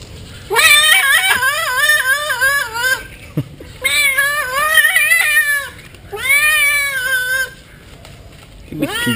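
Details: Domestic cat protesting while being bathed and rinsed: three long, wavering yowls, each two to three seconds with a quavering, warbling pitch, separated by short pauses, and a final rising cry starting at the end.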